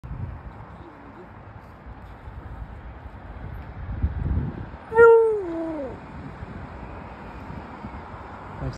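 A Samoyed gives one brief tonal howl that slides downward and fades after about a second.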